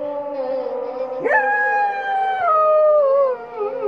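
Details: Samoyed dog howling with the dawn call to prayer: a steady, drawn-out tone, then a sudden higher onset that holds and slowly glides downward in long, mournful notes.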